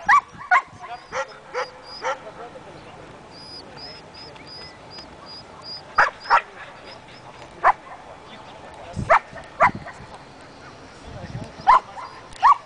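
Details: Belgian Malinois aged one year during guard training, giving scattered single and paired sharp barks several seconds apart over a quiet background with faint high tonal chirps.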